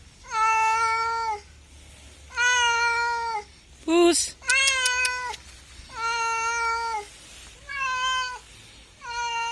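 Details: Cat meowing indoors: a series of drawn-out, steady, level meows, each about a second long, repeated roughly every two seconds, with a short sharp squeak and a higher, clipped meow in the middle; quiet background.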